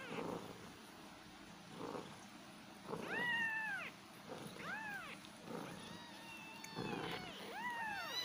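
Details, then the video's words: Cat and kittens meowing, with several arched, whining meows clustered in the middle and end, some overlapping, over a steady low rumble of background noise. "Cat Voice | cat kittens meowing | meow meow"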